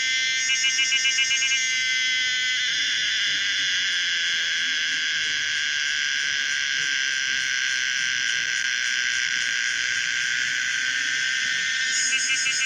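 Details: Pomponia linearis, the common cicada, singing loudly: a steady, dense, harmonic buzz with a pulsed, throbbing opening that settles into a continuous drone, then breaks back into rapid pulses near the end.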